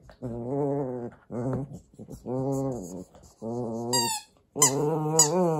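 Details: Indoors in Japan, Kotetsu, a Papillon-Corgi mix, plays with a rice ball toy. He gives a series of low, rumbling, grumbly vocal bursts of about a second each, with one short high squeak from the toy.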